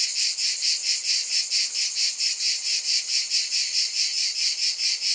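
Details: A dense cicada buzz, shrill and sizzling, swelling and fading in regular beats a little over twice per second, with nothing else audible behind it.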